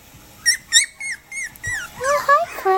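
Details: Male Cavapoo puppy born on March 30, indoors: a run of high, thin whimpering squeaks, about six short falling whines in quick succession, followed by a person's voice speaking softly.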